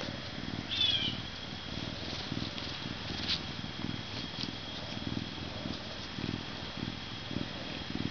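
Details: Max, a captive male Canada lynx animal ambassador weighing 40.5 pounds, purrs with a low pulsing rumble, one early high chirp, scattered clicks and a faint constant high tone in the background.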